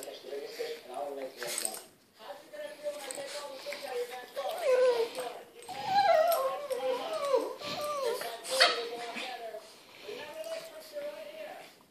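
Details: A Boston Terrier and a Pug playing indoors, giving wavering whimpers and whiny grumbles that rise and fall, bursts of louder yips in the middle, and human talk in the background.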